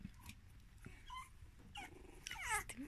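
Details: Month-old puppies, the offspring of Vudik and Ladushka, give a few short high whimpers and squeals. The loudest, a wavering cluster, comes near the end, over a low hum and faint background noise.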